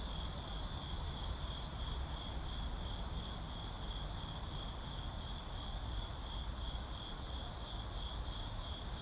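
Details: An urban night ambience of crickets: a shrill, evenly pulsed chirping holding one pitch from start to finish, backed by steady low traffic noise.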